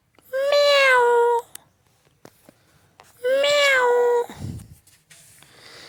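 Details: Cat meowing indoors: two drawn-out, clear meows about a second each, steady then slightly falling in pitch, spaced roughly three seconds apart, followed by a soft low thump and quiet room background.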